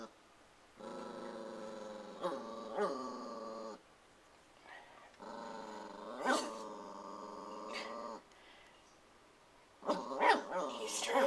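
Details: A young puppy, guarding its owner from nothing there, makes drawn-out harmonic growls in two long bouts, each with sharper yelps mixed in, then a burst of barking at the close.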